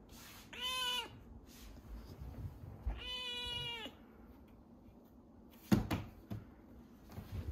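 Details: Rescued kitten Chirol, noted for eating well and meowing often, utters two short meows about two seconds apart, each ending with a falling tail, then clicks and knocks of handling indoors.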